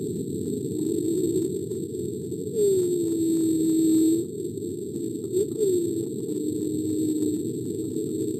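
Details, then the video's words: Humpback whale recorded off Alaska in 1999 gives two drawn-out tonal moans, each opening with a short upward sweep and settling into a long, slowly falling low tone, against steady low hiss of ocean noise. "this is a recording of a humpback whale recorded off the coast of alaska in 1999 [Music] so [Music]"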